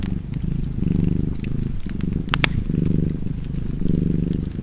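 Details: Close cat purr: a deep, throbbing rumble rising and falling with four breaths, a brief dip between them, plus a sharp fireplace pop near the middle and faint crackling.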